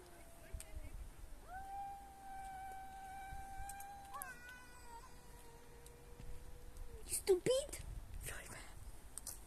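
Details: Domestic cat screaming indoors with drawn-out, level-pitched yowls lasting several seconds each, one stepping down midway, followed by short sharp squeaky cries and rustling; faint human voice in the background.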